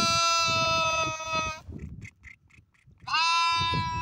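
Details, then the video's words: Sheep bleating: two long, steady, harmonic-rich bleats, one running about a second and a half and another starting near the end, separated by a quieter gap with soft short calls and low rustling in the background. "Sheep Voice | Sheep Sound Effect | Lamb Sound | Lamb Voice"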